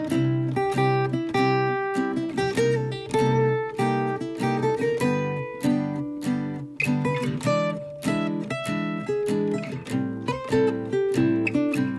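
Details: Strummed acoustic guitar music fills the whole stretch, with no animal voice heard.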